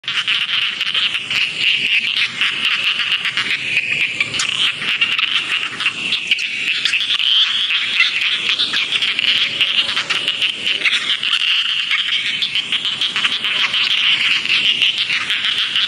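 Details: Rice field frogs calling in a dense, unbroken chorus of high, rasping trills that form a steady band of sound with no pauses, likely many callers together.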